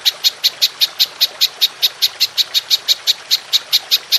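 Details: Golden grasshopper in a long-shooting (nembak panjang) call recorded as a songbird training tape: sharp, high clicking pulses repeated steadily about two and a half times per second throughout, over a faint hiss.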